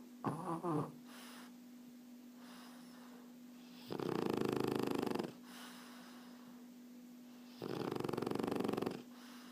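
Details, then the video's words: Relaxed French Bulldog Erna sound asleep, a brief snuffle followed by two long, loud, buzzing snores about three and a half seconds apart, steady hum underneath. "Erna,die französische Bulldogge schnarcht"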